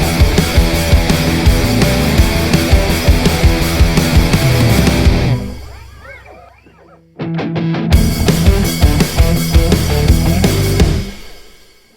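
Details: Loud heavy rock music with driving drums and guitars, dropping away briefly into a quiet gap with faint voices before the music returns.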